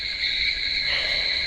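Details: Night crickets heard from a lit house where power cuts make the dark feel like living in a jungle; a continuous shrill high trill in two steady bands, faint low rumble beneath.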